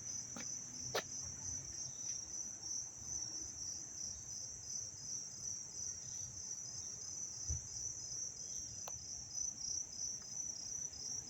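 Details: Very loud crickets in Dobbs Ferry, New York, on 19 August 2025, a dry, warm, sunny day; the recordist wonders if they could be cicadas. They chirp in a high, steady, rapidly pulsing trill that runs without a break.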